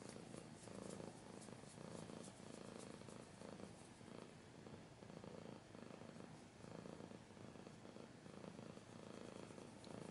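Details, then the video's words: Continuous cat purr, a low pulsing drone that swells and fades in even cycles of roughly a second, about ninety pulses a minute, close and steady throughout. "Cat's purring / scratching / kinda ASMR"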